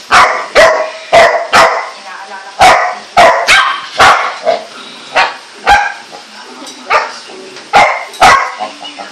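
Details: Golden Retriever puppy aged four months, kept tied, barking persistently: around sixteen loud, sharp yelping barks in irregular clusters, some doubled.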